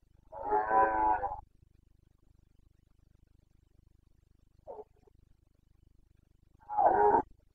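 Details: Bucovina Carpathian stag in rut, breeding season, 29 September 2022: a full, hoarse roar of over a second, a faint brief grunt in the long silence, then a second shorter bellow near the end.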